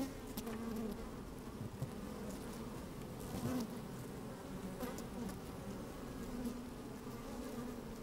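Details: Inside an open beehive on a sunny, slightly windy day, honey bees at work give a continuous droning hum with a strong low band, faint rising buzzes and scattered crackling clicks from bees moving about.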